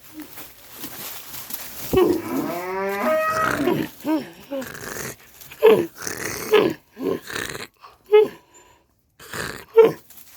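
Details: Camel calling with a loud, drawn-out, moaning bellow that falls in pitch over about two seconds, followed by throaty gurgles and a string of short grunting bursts.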